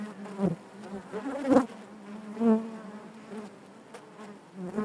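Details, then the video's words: Inside a beehive, a continuous low drone of honey bees, with several louder buzzes rising out of the hum as single bees fly near, plus faint tapping sounds. "bees therapy hive natural buzzing sound"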